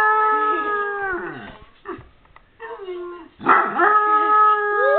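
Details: A Basset Hound gives long, mournful baying howls that hold steady and then slide downward, reacting to a dog barking in a video it was watching.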